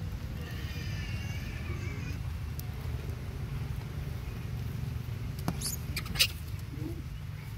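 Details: Baby monkey crying while its mother breastfeeds it: a thin, high, wavering squeal with stacked tones lasting about a second and a half, followed by sharp clicks and taps over a steady low rumble.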